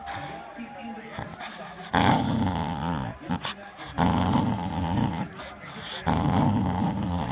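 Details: A Bull Terrier gives rumbling, warbling play growls in bursts while teasing to play with a handle rope ball.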